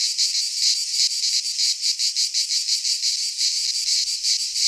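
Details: In a Greek pine forest in midsummer, cicadas sing a harsh, high-pitched buzzing that swells and dips in rapid regular pulses, about three per second, without other sounds.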